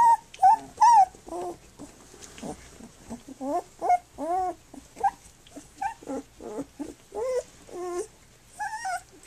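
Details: Flute's puppies, three weeks old, nursing and playing, keep up a busy run of short, wavering whines and yelps, about two or three a second, some arching up and down, others flat and nasal, with soft shuffling between.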